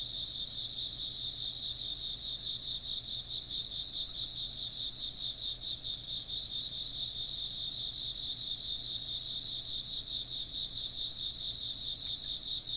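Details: Long, even wall of chirping insects, shrill pulsed trills stacked at several high pitches and holding constant loudness throughout, backed only by a faint low drone.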